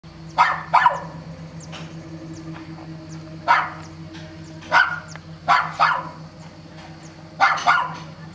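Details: Dog barking persistently at Sant'Elia, Vieste, during a holiday; sharp barks often in pairs, about seven bursts over eight seconds, with a steady low hum in the background.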